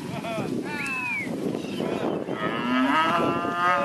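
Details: Herd of Red Angus heifers and mostly Angus and Red Angus cows with some Jersey and crossbreds, several animals lowing at once in overlapping calls, some rising and falling, others steady and drawn out, against a busy background murmur.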